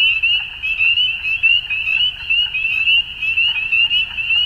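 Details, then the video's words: Frogs calling at dusk: a dense, continuous chorus of high, trilling calls forming a steady band, with pulses swelling and fading in overlapping waves, over a faint low rumble. "Frogs At Dusk"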